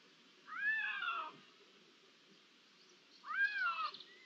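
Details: Two drawn-out Iberian lynx meows, each rising then sliding down in a bright harmonic wail lasting close to a second, separated by a pause and set against a faint hiss; recorded 16 June 2023, one to three lynxes.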